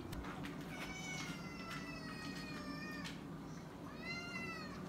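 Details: Domestic cat at dinner time, in a home with a boxer dog: a series of drawn-out, tonal meows, several rising then falling, a pause, and one last meow near the end over a steady low household hum.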